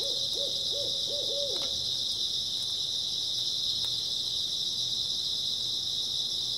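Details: A steady high trill of grass insects fills an early autumn night, while four quick low hooting notes sound in the first two seconds before the insect drone continues alone.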